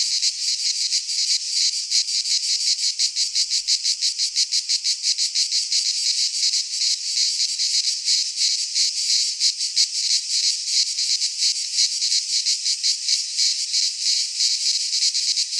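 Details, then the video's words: Greek pine forest cicadas in midsummer, a continuous harsh high buzzing chorus throbbing in quick regular pulses for the whole stretch, steady in loudness, with nothing else audible. "Cicadas singing in midsummer - Nature sounds from the Greek fauna - Sounds of cicadas"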